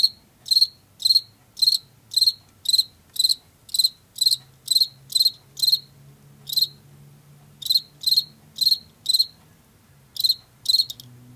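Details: Washington field cricket chirping regularly at about two per second, then faltering with gaps after six seconds and resuming in short runs, while a faint low hum runs underneath.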